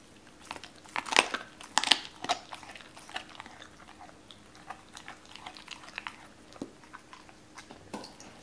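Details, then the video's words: Cola, a Doberman, eating raw chicken for the first time, chews and bites in wet crunching bursts, loudest around the first two seconds, then softer irregular smacking continues at a quieter level. "도베르만 생닭 먹방 ASMR"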